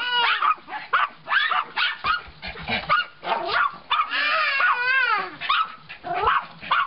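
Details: Three puppies barking at a stray dog outside: overlapping high yips and wavering whimpers, one drawn-out whining cry in the middle, constant and excited.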